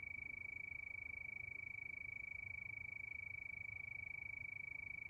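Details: Crickets chirping at night under the moon: a steady, unbroken high-pitched trill of rapid, even pulses that never pauses, over a faint low rumble.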